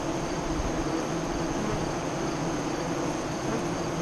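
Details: Hive entrance of honey bees in Nebraska, 5 miles east of Lyons, during the 2017 solar eclipse; a constant, thick, low-pitched hum that stays level throughout.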